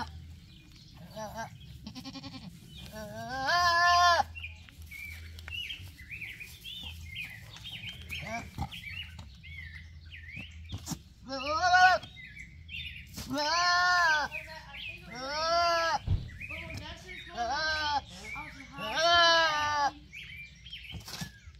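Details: Male goat bleating in a funny, talking manner: scattered short calls at first, then a rapid series of five or six quavering bleats, with clicks and low hum throughout.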